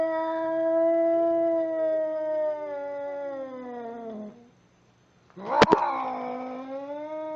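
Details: Angry cat's long, drawn-out yowl that slowly drops in pitch and fades, a moment of silence, then a sharp spitting burst before the wailing yowl resumes.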